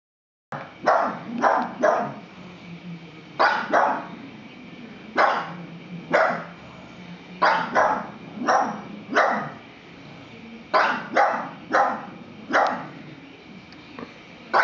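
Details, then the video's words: Pug barking at a plastic horse, loud sharp barks in quick pairs and triples with short pauses, about twenty in the clip, a faint low growl between some bursts. "Pug vs Scary Plastic Horse"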